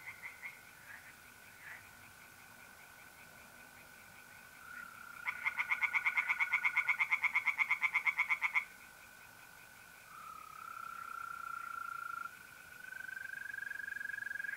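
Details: Tree frogs sing from a pond on a mid-April night in north-east Italy: a loud burst of rapid, evenly pulsed croaks for about three seconds, set over the steady, unbroken high trill of mole crickets that wavers slightly in pitch.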